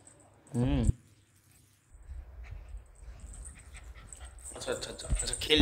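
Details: Pomeranian named Sweety, a pet dog being playful: a short wavering whine with a rising and falling pitch, then a quiet pause before rustling and handling noise build up, with a person's voice nearby.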